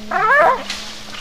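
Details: American Staffordshire Terrier, a female dog, giving a single short high yelping bark with strained harmonic bands that rise and fall, about half a second long, over a faint steady hum.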